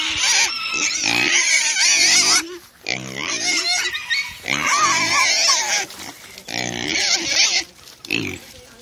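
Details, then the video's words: Two KuneKune pigs at dinner time, running to their food tray after being called, letting out loud, continuous shrill squeals in long bursts of about two seconds separated by short breaks. "Dinner time for squealing KuneKunes"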